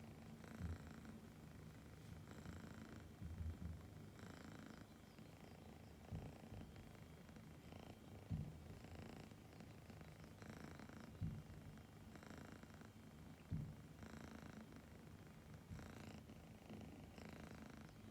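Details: Happy young Siberian cat purring to birdsong indoors: a deep, rhythmic purr pulsing with each breath about every two seconds, small clicks and soft bird chirps in the background.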